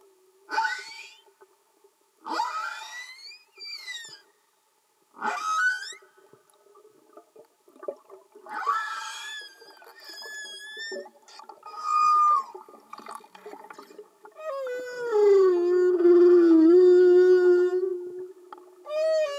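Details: Underwater humpback whale song: a run of short upswept whoops and chirps, then higher whistled tones, ending in a long low moan that dips and holds steady, with quiet crackling between units, no music.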